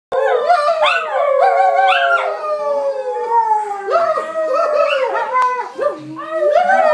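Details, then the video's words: A Cairn terrier and a husky howl together in chorus: long, wavering, overlapping howls that slide up and down, several voices layered, with brief rising yips between the sustained notes and no other sounds. "Cairn & Husky Choir"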